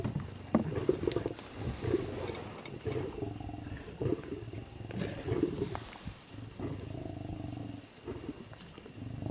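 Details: Royal tiger on the move along a road: low, rumbling growls repeated roughly every second or two, throaty and uneven, with a soft hiss of open-air background behind them.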